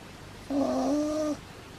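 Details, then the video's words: Sleeping pug puppy Pablo lets out one whistly snore of nearly a second. The nasal tone wavers slightly before fading into a quiet indoor background. "Pug puppy snoring!"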